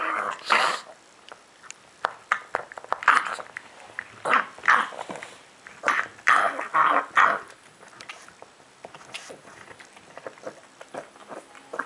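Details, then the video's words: A pug eating indoors, giving bursts of snorting, smacking and grunting noises at an uneven pace, some louder snuffles standing out, then quieter chewing toward the end. "Pug Bram eating and making noises that will make you sick when you are eating"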